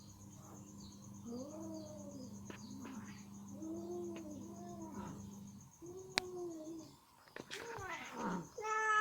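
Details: Ginger female cat with chicken meat stuck in her teeth, trying hard to get it off; soft arched meows come in short runs over a steady background hum, and a sharp click and a brief burst follow near the end.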